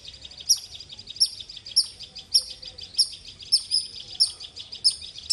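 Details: Squirrel calling loudly with piercing high chirps spaced roughly every two-thirds of a second, a steady insistent series with faint low background rumble.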